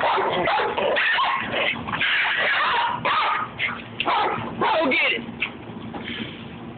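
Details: Pet Rat Terrier Babygirl sparring playfully with the dog Levi, loud snarling bursts and sharp yips broken by brief gaps, with human voices mixed in.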